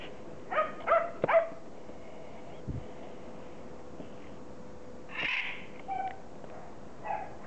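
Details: A 15-week-old Border Collie puppy, son of Kim and Indi, gives a quick run of three or four high, tonal yips. After a pause comes a rougher, breathy bark and then a couple of softer whines, with a faint steady hum behind.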